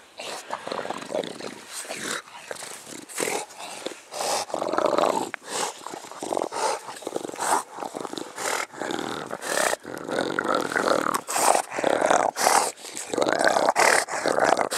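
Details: Close dog panting from a mastiff-type household with English bulldog, bull terrier and American bully: a long run of hoarse, noisy breaths with brief gaps, speeding up and growing louder toward the end, with faint growl-like rasp.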